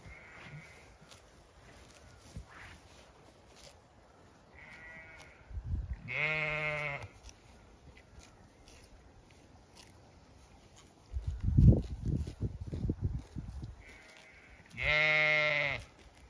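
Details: Zwartbles ewes and lambs in an evening-sun orchard on an Irish farm in County Kilkenny; two long, loud, quavering bleats some nine seconds apart, fainter bleats between them, and a burst of low rustling or footsteps in the middle.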